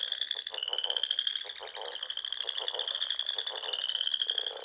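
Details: Frogs chorusing in spring at dusk among ponds in the rolling dunes of Nebraska's Sandhills; a steady high trill runs throughout, with a lower, rapidly pulsed croaking beneath it from several callers.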